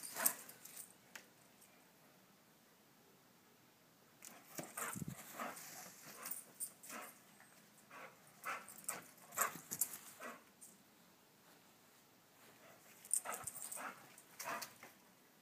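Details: Dog teased by a squirrel: scattered short whimpers and yelps in irregular bursts over a quiet background, denser in the second half, with brief noisy clicks in between.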